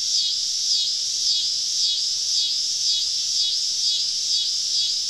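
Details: Southern woodland cicadas on a summer evening during a camping trip, many callers together giving a high, throbbing buzz that rises and falls in quick regular waves roughly twice per second.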